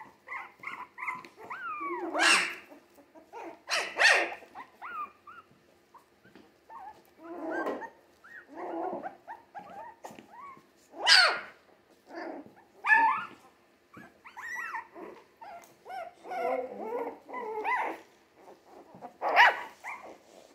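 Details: Three-week-old Jack Russell Terrier mix puppies produce scattered sharp squealing yelps and rising whines over about twenty seconds, coming in irregular bursts from several pups, with quieter mutters and shuffling between them.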